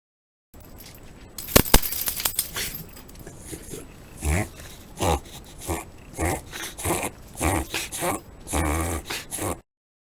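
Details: A Shiba Inu, one of four Shibas in a household, reverse sneezing during a bout of bile reflux: a sharp clatter early on, then about nine rhythmic snorting, honking bursts, roughly one every half second.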